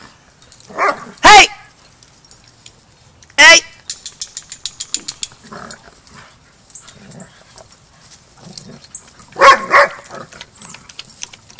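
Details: Barking dog during a young pup's first lesson with the pack at a Border Collie boot camp: sharp, loud, clipped barks spaced a few seconds apart, with a person talking and softer yips in between.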